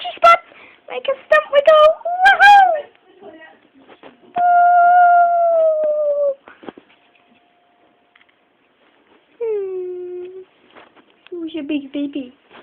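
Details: Pet dog howling in response to a doorbell indoors: an opening burst of short whimpering yelps, then a long, slowly falling sustained howl, followed by shorter dropping moans near the end.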